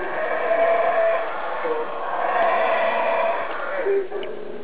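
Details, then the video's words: A single howler monkey calls from somewhere overhead in the trees, heard up close but never seen: a continuous rough, roaring howl with a wavering tonal edge that swells and fades over several seconds. "Sounds of the Howler Monkey"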